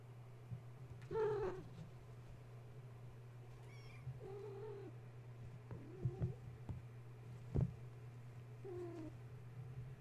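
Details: Gaia's young kittens, stirred up at bedtime after a space heater went on, climbing and playing instead of nursing: several short, thin mews scattered across the stretch, some wavering, with a constant low hum and faint knocks.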